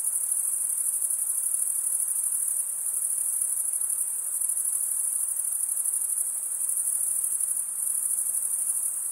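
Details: Chirping crickets, males rubbing serrated wing veins together, make a continuous high ringing trill with gentle rhythmic swells and brief slight dips in intensity.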